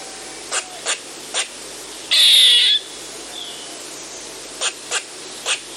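Eastern gray squirrel giving sharp, dry chucks and one long, harsh buzzing call.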